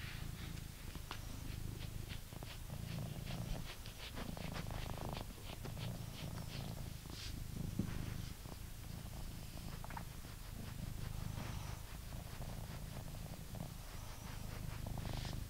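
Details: Indoors in England, a blue British Shorthair cat keeps up a deep, even purr throughout, its low rumble rising and falling gently with each breath, plus faint clicks and rustles.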